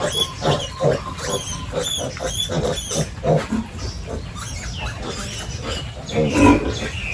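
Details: Pigs in a village farm pen at morning feeding time; dense run of short grunts and snorts, some rising into higher squeals, with clatter in the background.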